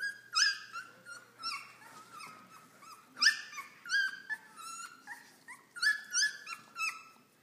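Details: Three-week-old Airedale Terrier puppies, ten in the litter, playing under their mother's watch; shrill, repeated whines and squeals, several bent downward, coming in uneven bursts about every second or two.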